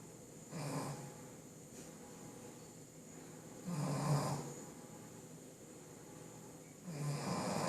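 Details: Sleeping Shih Tzu dog snoring indoors: three slow, throaty snores about three seconds apart, each a low rasping rumble with a breathy hiss, separated by quiet breathing and faint room hum.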